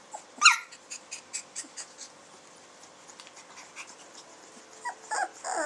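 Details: Samoyed puppies born 20 June 2009, indoors: a sharp high squeal opens, then soft rhythmic puffs repeat about four times a second, ending in short thin whines; laughter follows.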